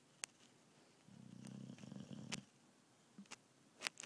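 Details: Sleepy British Bulldog making a low, rumbling, snore-like breath lasting about a second and a half, followed by quiet silence broken by a few sharp clicks.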